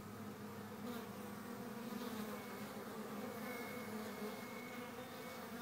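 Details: Honey bee hive activity on April 11, 2013: a thick, even droning buzz of many bees, low humming bands steady across the clip, with a faint thin high whine in the second half.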